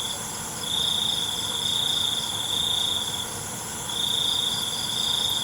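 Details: Crickets chirping in the dark: long, even, high-pitched trills of two to three seconds with a short break between them. Constant faint ringing from many insects fills the background.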